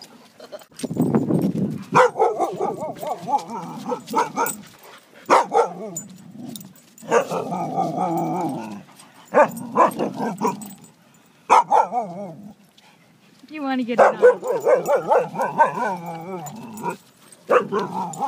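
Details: Greater Swiss Mountain Dog, a six-year-old female named Lilo, playing at a dog park with an eight-month-old Husky named Snow; rough, rumbling play growls and grumbling vocal bursts in repeated bouts separated by short pauses.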